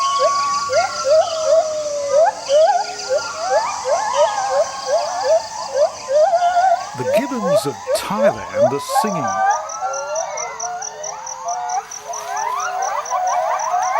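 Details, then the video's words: Gibbons singing loudly to proclaim their territory and keep other troops away: a dense run of whistled notes sweeping up and down, with a steady pulsing high insect-like buzz behind and a burst of lower, rougher sound midway. "Jarunee the Singing Ape"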